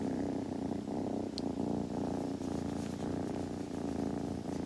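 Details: Close, steady purring from a kitten: a deep pulsing drone with a bright tonal band, a brief tiny tick midway, and light shuffling noises.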